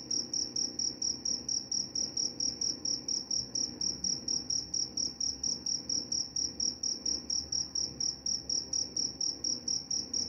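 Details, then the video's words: Cricket calling steadily with rapid, evenly spaced high chirps, about three to four pulses each second in an unbroken train, a faint low hum underneath; the sound is presented as helping sleep and driving away mice. "Suara jangkrik pengantar tidur dan juga mengusir tikus."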